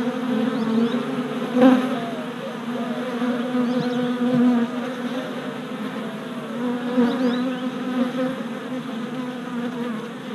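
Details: Honey bee workers circling the hive entrance on orientation flights, four days after a package of bees was installed, April 2017, GoPro camera. Thick layered buzzing, a close fly-by peaking near two seconds, faint high chirps in the background.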